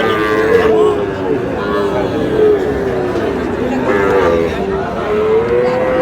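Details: At a Mymensingh cattle market, Sahiwal bull calves give several long, low, harmonic moos, some bending upward at the end, spaced a second or two apart amid constant background chatter from the crowd.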